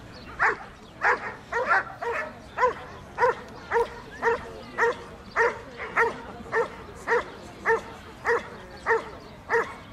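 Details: A Dobermann at the AIAD 2012 championship show barks in a steady series of deep, single woofs, roughly two each second.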